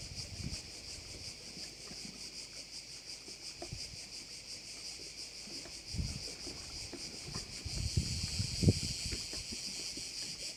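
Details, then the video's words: Korčula bay crickets in Croatia: a continuous shrill insect buzz with a gentle pulsing beat, broken by low thumps and rumbles of wind or water that grow louder toward the end. "Korčula - view of one of the bays in Korcula with sounds of crickets"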